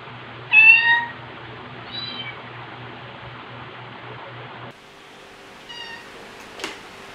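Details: Margaret, a rescued white cat with orange markings on her head and tail, gives two bright, harmonic-rich meows a second apart, then a softer third meow after a pause, over a steady low electrical hum.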